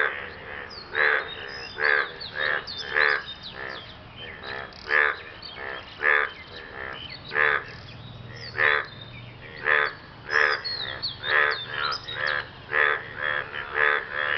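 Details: Frogs calling after rain to impress a mate: around twenty-two throaty, grating croaks, sometimes paired and sometimes spaced about a second apart. Faint high chirps are scattered throughout.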